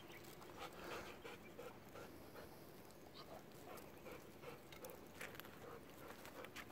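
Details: Golden Retriever out on a long afternoon walk near home, alongside a second dog: soft, quick, rhythmic panting at roughly three breaths per second, faint against steady outdoor background hiss.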